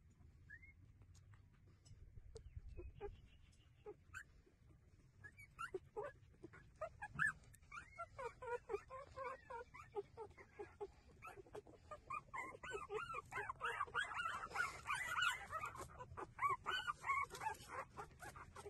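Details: Several street dog puppies breastfeeding, whimpering and squealing; scattered high squeaks build into a dense, overlapping chorus of wavering, rising-and-falling whines in the second half, with low background rumble.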